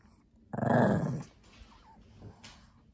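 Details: Shih Tzu/Pekingese dog, playful and talkative indoors in the afternoon while playing with a lion cub toy: one loud rough growling vocalization lasting under a second, then quiet room noise.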